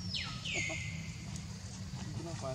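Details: Baby monkey named Leo crying to beg its mother for milk, giving a loud, high whistled cry that slides steeply downward and trails off, with a steady low background hum.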